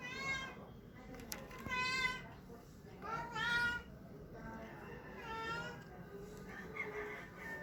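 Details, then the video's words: A cat making funny sounds gives a run of drawn-out, rising and falling meows, roughly one every two seconds. The meows are rich in overtones against a hissy, low-humming background. "Cat making funny sounds"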